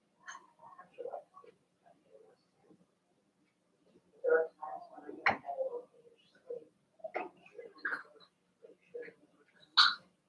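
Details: Cavalier King Charles Spaniel puppies Cooper, Conner and Jenny, born 9 June 2022, Ruby and Blenheim coats, indoors overnight on 27 August; scattered soft squeaks and short whimpering whines, with faint snuffles and shuffling between them.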